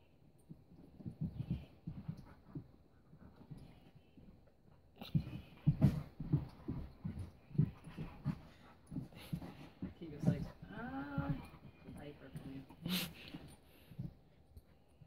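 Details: A 4-year-old Husky and a 3-month-old Welsh Springer Spaniel puppy on their first play date: low rumbling growls and huffs in rapid bursts, a brief higher whine midway, and scuffling.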